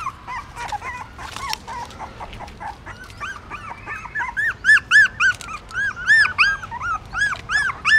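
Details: Newborn puppies nursing from their mother in a pagoda stupa, Siem Reap, Cambodia: rapid, repeated high whines, each a short arch, growing louder and more regular in the second half.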